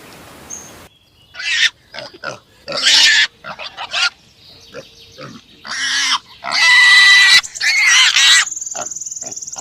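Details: Pig on a farm giving harsh, noisy squealing bursts of varying length, some short and clipped, others drawn out over a second, with quiet gaps between and a few thin whistle-like tones near the start and end.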